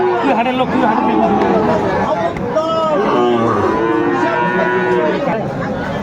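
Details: Cattle moos at Aftabganj market in Dinajpur, Bangladesh, 10 September 2024, where Friesian and crossbred bull calves are being bargained over; several overlapping tonal lows, some wavering, amid dense human chatter.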